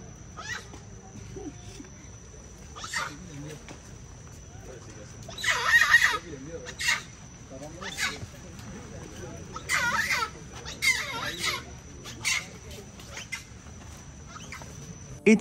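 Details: Long-tailed macaques at Ubud Monkey Forest in Bali, Indonesia, give harsh, shrill screeches in short bursts while people talk nearby.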